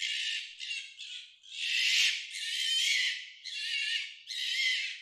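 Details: Fox mating sound: a run of harsh, raspy screams, each lasting about half a second to a second, separated by short gaps, with nothing else audible.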